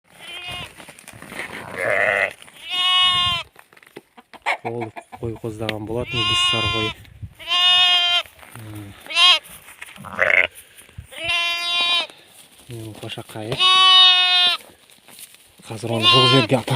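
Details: Hissar sheep, a ewe with her newborn lamb, kept in a warm spot inside an old bathhouse; loud, wavering harmonic bleats come roughly every two to three seconds, about six in all, with quieter shuffling and a faint steady high tone between them.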